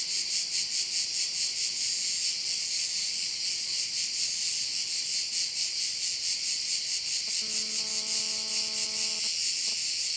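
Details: Crickets by one of the bays of Korčula: a dense, high shimmering buzz that throbs about twice a second throughout, with a steady low humming tone entering for roughly two seconds near the end.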